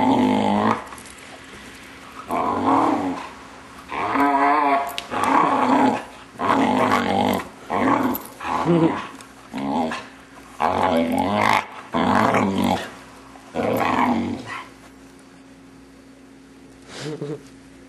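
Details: Six-month-old male Vizsla pet producing his typical weird noises during play with his owners. A string of about ten throaty, moaning yowls, each under a second long, repeated roughly every second, then quiet.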